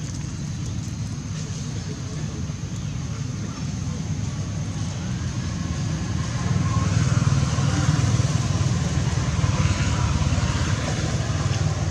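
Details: Steady roadway traffic rumble with passing vehicles, growing slightly louder midway, and no animal calls.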